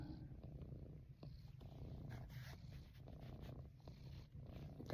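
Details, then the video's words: Female cat, just up from a nap in the window, purring as she gets rubbed in a lap; a constant low rumble under quiet speech from a person. "My Purring Cat Loves Rubs"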